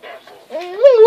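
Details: A female Rottweiler, listening to the song "Big bad wolf," pretends to be a wolf with a brief, rising howl that settles into a steady, drawn-out tone.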